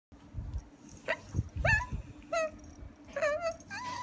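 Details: Beagle named Cooper, a pet dog with his comb, giving a few short high whines and yips that sweep up and then fall, spaced irregularly between soft low thumps and a steady faint hum indoors.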